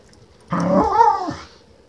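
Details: Khushi the female Keeshond at play: a single one-second vocal, starting as a rough growl and bending into a wavering, whiny moan that drops away at the end, in a quiet room.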